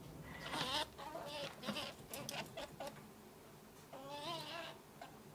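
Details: Three-month-old male Path Valley ferret kit giving baby calls indoors: quiet, wavering, squeaky cries in short bursts, with a longer warbling cry near the end and soft rustling between.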